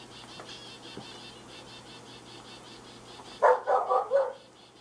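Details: One-month-old red-nose pit bull puppies give three or four quick, high yelping yips in a burst near the end, after a stretch of faint background hiss.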